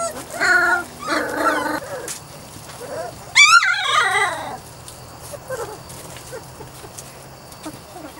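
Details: Weimaraner and Vizsla cross puppies, three to four weeks old; high yelping whimpers and squeals, one rising-falling whine, several pups overlapping, then quieter scattered whines.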